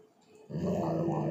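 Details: Labrador Retriever; grumble; asking for a treat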